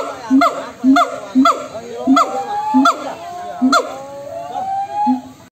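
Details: Several monkeys calling back and forth to one another in a noisy chorus: harsh, honking, harmonic calls repeated roughly twice a second, overlapped by longer wavering, rising and falling cries from other callers.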